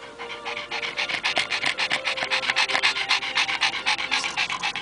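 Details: Rapid, even panting, about four breathy huffs per second, from Oscar, an elderly 11-year-old male Pekingese at a Richmond, British Columbia shelter, resting in a car after a walk, June 2010; faint voices nearby.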